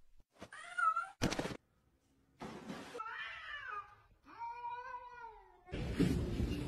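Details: Domestic cat giving three drawn-out, tonal meows, the first short and high, the later ones longer with a rising then falling pitch, separated by brief bursts of rustling and knocking noise.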